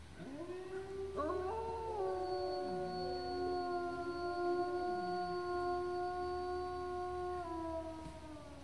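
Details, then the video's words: A gray wolf at Bays Mountain Park gives a long, smooth howl that swoops up and then holds a steady, mournful note. "Gray Wolf Howling - Bays Mountain Park"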